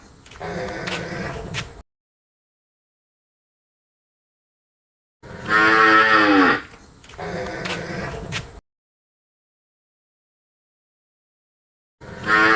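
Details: Repeated lowing of a penned cow: a quiet low moo with clicks, a pause, then a loud, harmonic moo falling at its end and another soft one. After more silence a new moo starts.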